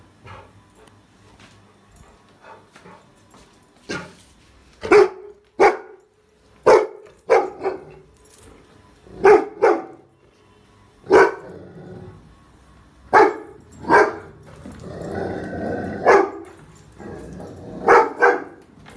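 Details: A Rottweiler puppy barking at a trolley bag, sharp single barks spaced irregularly every one to two seconds, with a brief rougher, growly stretch near the end and quiet room background.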